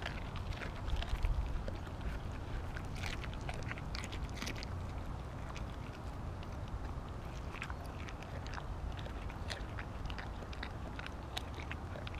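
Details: Siberian Husky Kobi chomping through an entire raw mackerel: a steady run of sharp crunching and biting clicks, about four per second and unevenly spaced, against constant low rumble.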